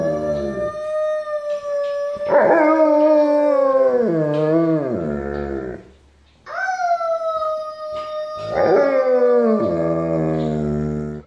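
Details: The Alaskan Malamute Benz singing along with family in a choir. Steady, held howls give way to louder wavering howls with downward-sliding endings. The pattern repeats twice with a short gap between.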